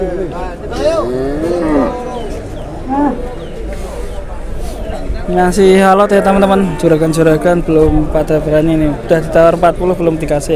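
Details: Bellowing from an 826 kg Indonesian qurban cow: curved moos in the first seconds, then a long, flat, steady lowing held over several seconds, with busy background chatter.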